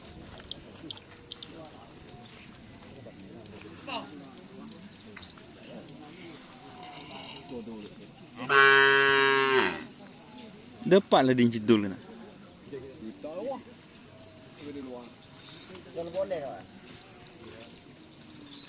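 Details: White Karapan Sapi racing cattle from Sapudi Island: one long, loud, droning moo of about one and a half seconds that sags in pitch at the end, then a shorter harsh call, with murmuring voices and background noise throughout.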